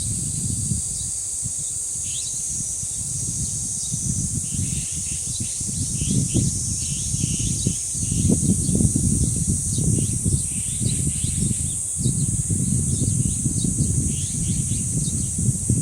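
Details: At Deoksan village's Dangsan grove, cicadas keep up an unbroken high-pitched buzzing hiss while wind roars in surges and many quick bird chirps and twitters scatter through the middle of the recording.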